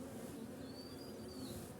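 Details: Honey bees in a hive box that has been moved and opened, smoke applied so they bite less; a steady low hum of many bees with a faint rising-falling whine above.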